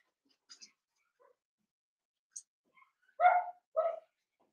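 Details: Seven-week-old blenheim Cavalier King Charles Spaniel puppies, a litter of five born at New Year's, in an indoor home puppy pen; faint scattered squeaks and clicks give way to two short, loud, harsh puppy barks in quick succession.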